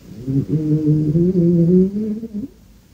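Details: Sleeping pet dog Kartoshka, owned by Anfisa Chekhova, snores indoors with one sustained, gently rising nasal tone lasting about two seconds, rich in harmonics and slightly wavering, ending with a brief upward flick.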